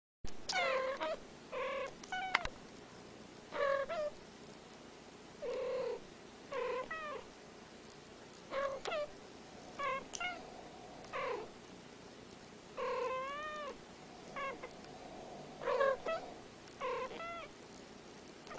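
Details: Two unrelated female domestic cats, about ten years old, usually fighting but here trading calls indoors for about an hour: short chirping meows and trills, many with rising-falling wavering pitch, exchanged back and forth every second or so in a quiet room.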